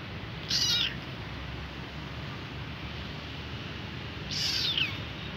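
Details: Hungry kitten crying for its mother, giving two high, thin, falling meows about four seconds apart over steady low background hum in a quiet room.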